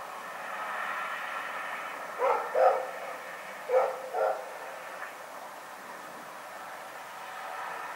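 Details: Rex, a dog, barking at night against a constant rushing background noise: two pairs of short, clipped barks about a second apart, then only the steady noise continues.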